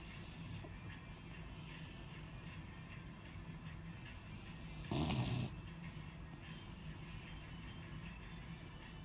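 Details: Sleeping Beagle snoring: one harsh, broadband snort-like breath lasting about half a second, standing out against a steady low indoor hum.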